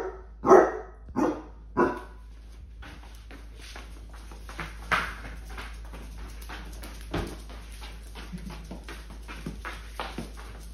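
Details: Basset hounds with an oversized Mr. Peeps toy at Easter. Three quick barks open, followed by softer rustling, scuffling and faint yips through the rest.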